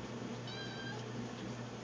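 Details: Hungry indoor cat meowing while waiting for food by the bowls in a pantry: one short, slightly falling meow under a steady low hum.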